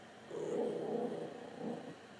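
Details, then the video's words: Putter, a pet dog, 'talking' back during a chat with its owner: a low, steady grumbling growl lasting about a second and a half, with a brief dip before a final rumble; quiet room background. "Putter the talking dog"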